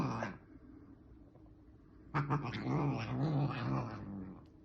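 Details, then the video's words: Bengal cat making noises: after a brief sound at the start and a quiet gap, a low, rough growling yowl begins at about two seconds and wavers in pitch for over two seconds. "Bengal Cat crazy funny noises"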